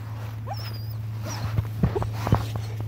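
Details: A 9-week-old male German Shepherd puppy, playing with a piece of wood, makes short whiny grunts and little squeaky noises over a steady low hum.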